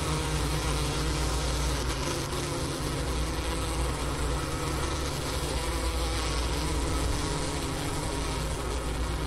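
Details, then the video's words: Winter hive of honey bees, Ohio State University's Wooster campus, January 16, 2024, around 4 PM, 15°F outdoors; recorder placed at the inner-cover hole next to leftover sugar brick. Continuous deep buzzing drone with stacked humming tones, unchanging in volume. "Bee Hive Sounds in Winter"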